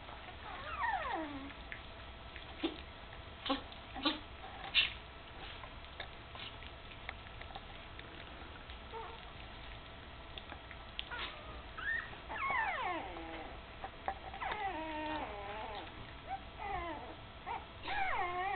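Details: Puppies almost three weeks old, eyes just opened and starting to walk with a wobble, beside their mother Candy indoors; thin whines sliding downward come in scattered bursts, some clustered and overlapping, over a low steady hum.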